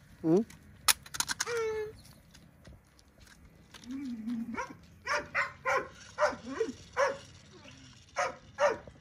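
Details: Wild boar (Sus scrofa) piglets following their mother give squeaky, tonal grunts in a quick, uneven series.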